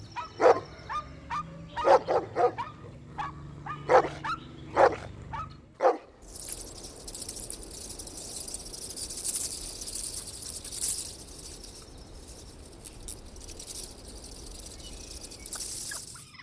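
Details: Outdoor toy battle between puppies and their mother dog: a run of quick barks and yips for about six seconds, then a loud, steady rushing noise takes over.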